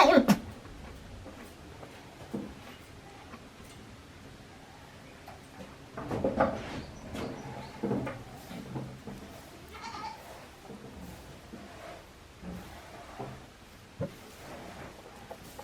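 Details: One-day-old baby goat kids, offspring of the doe Hikari, at the handmade Yoshigake goat farm in Japan, 17 April 2024. A few short, quiet, wavering bleats come in bursts near the start and middle, among clicks, knocks and soft background rustle.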